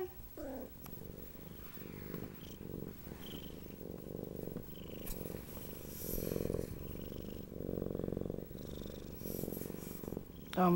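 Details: Siamese cat named Dory, a pet indoors, purring in steady low rhythmic pulses that swell and fade in rounds about every one to two seconds, with a few faint clicks and brief human sounds at the end.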